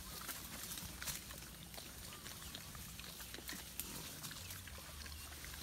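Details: Wild boars walking in the wild give low, soft grunts amid a rustling, hissy outdoor background.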